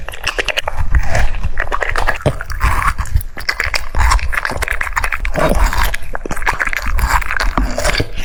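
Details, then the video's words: French Bulldog eating cucumbers: steady wet crunching and chomping, dense irregular bites with smacking noises throughout, close and loud. "The sound of chewing cucumbers"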